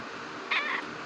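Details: Domestic cat, a native Philippine puspin, giving one short meow of about a quarter second, a bright harmonic cry over steady indoor room hiss, with a woman speaking softly before and after.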